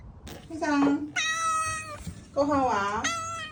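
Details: Talkative pet domestic cat at home, meowing in reply to its owner around feeding time: three long, loud, harmonic meows, the first dipping then level, the last bending down and up, with a woman's voice talking in between.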